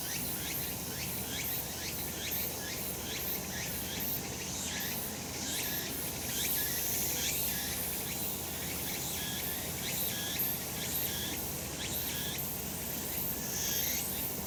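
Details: On a sunlit Japanese mountain in summer, cicadas produce a thick, constant high buzz with rhythmic rising swoops about once a second, steady in loudness, over a low ambient rumble.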